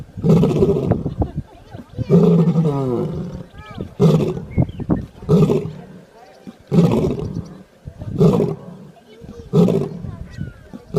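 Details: Lion snoring, heard as deep, rough, breathy pulses repeating roughly every one and a half seconds, each a low rasping rumble with brief quieter gaps between.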